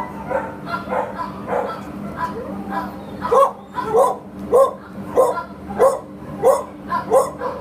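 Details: A Labrador Retriever available for adoption at a shelter barks repeatedly, sharp loud woofs about every half second to second in a steady run, with a low constant hum and faint voices.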